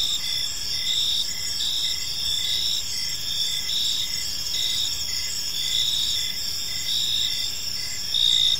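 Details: Evening park ambience filled with cricket chirping, a dense high-pitched trilling chorus of regular pulses layered over a continuous bright hum, with soft low-frequency noise beneath.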